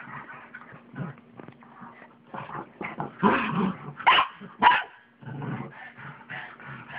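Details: A pug and a mixed-breed dog at play on a bed at home, trading rough play growls, grumbles and a few sharp yips, louder around the middle, with a person speaking faintly.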